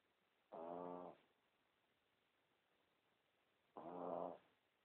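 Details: Small Pomeranian dog snoring loud, caught with a cell phone: two drawn-out tonal snores, each about half a second long and three seconds apart, over a faint steady hiss.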